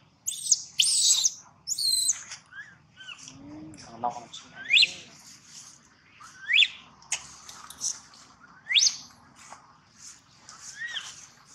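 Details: Sad baby monkey crying at length, harsh high screams at first, then a run of rising squealing cries repeated every couple of seconds, with faint low murmuring in the background.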